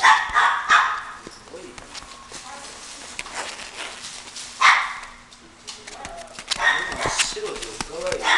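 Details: Female Chihuahua gives sharp, high yapping barks in irregular bursts, loudest at the start, near five seconds and around seven seconds, with clicks and handling noises between.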